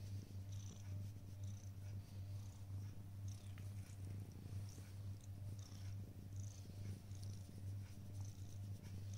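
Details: Black cat purring while waiting on a prayer mat indoors: a steady low rumbling purr throughout, with soft pulsing roughly every two seconds and faint higher clicks and rustles above.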